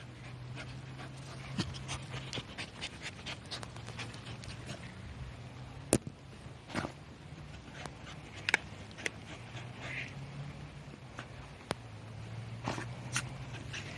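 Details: Korosuke, a Shiba Inu, digging hard in light drizzle beside a rice-field path during a walk; rapid airy puffs recur steadily over a low hum, with a few sharp cracks and a steady background hiss.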